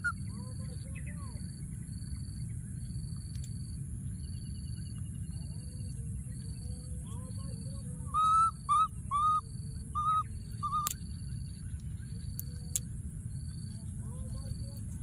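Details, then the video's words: Calling for his friend from a thorny tree, a wild baby monkey lets out a run of five loud whistled cries in about three seconds, after quieter low coos, with steady rumble and repeating high buzzy pulses behind. "What a p.o.o.r baby monkey, hiding in a thorny tree and continuing to call for his friend"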